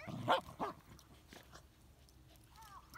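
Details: Pembroke Welsh Corgis dashing about in play outdoors: two quick, sharp barks in rapid succession at the start, then quieter pauses and a brief human voice at the end.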